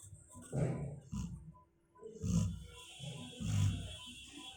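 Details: Low rough snoring from a sleeping female Labrador Retriever, a few irregular rumbling breaths with a short quiet gap midway.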